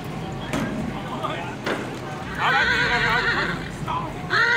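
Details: Tennessee Walking Horse being unloaded from a trailer at the 2023 Come Together gaited horse trail ride in Northeast Texas: a long wavering whinny, then a shorter one, with people talking and metallic clanks.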